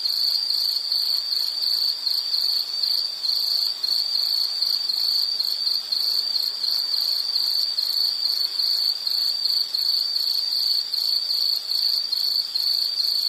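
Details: Unbroken high-pitched insect song, a dense pulsing trill at one steady pitch, loud and constant across the whole stretch, with quieter high buzzing overtones and light hiss beneath.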